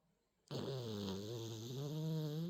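A sleeping miniature Dachshund snores with a low, steady, buzzing drone after a moment of quiet.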